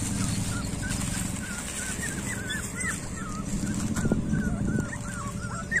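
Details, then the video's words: Street dog puppies giving a steady run of short, high, wavering whimpers, soft and closely spaced, over a constant low background hum. "street dog puppies"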